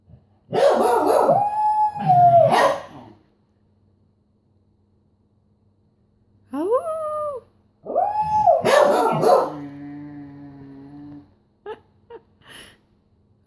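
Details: Beagle gives a loud howl mixed with rough barks, falls silent, then starts again with a rising yelp that swells into a long, gradually sinking mournful howl, followed by a few faint clicks.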